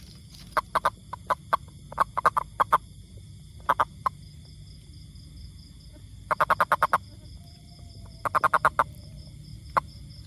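A toad gives short bursts of rapid, clicking croaks, each burst a quick run of pulses.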